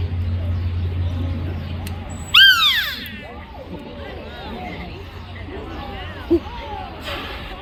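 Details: Captive female beluga whale at Mystic Aquarium during lunchtime feeding, vocalizing through her blowhole: a loud, bright, harmonic whistle sweeping downward, then a run of softer arching chirps and squeaks, with low hum and voices in the background.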